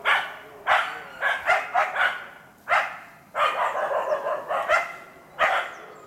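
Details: Karelo-Finnish Laikas Rus-Fin, two, and Kaya, eight months, bark at a penned wild boar as practice for trials. Single loud barks alternate with a fast run of shorter yelping barks.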